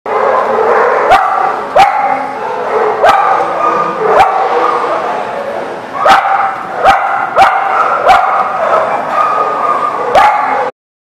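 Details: Dogs barking at a place called The Barking Lot, recorded 2/7/20; a dense, steady wash of overlapping barks from many dogs fills the whole span, with sharp louder clicks or thumps scattered through it.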